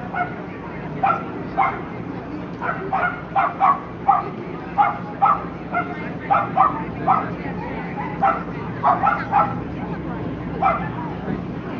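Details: Lhasa Apso at a Somerset Hills Kennel Club dog show during the breed classes on 5 September 2009; short sharp barks repeated in irregular bursts over steady crowd murmur and hall noise.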